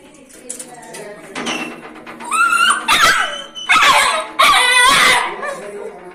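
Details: Angry dog or puppy gives a quick series of shrill yaps and yelps with a wavering pitch, loudest in the second half.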